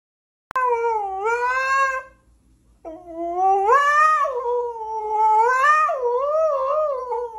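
A husky gives a drawn-out, musical howl: a short dipping phrase, a pause, then a longer one. The tone wavers up and down like singing, rich in harmonics, with no other sounds around it.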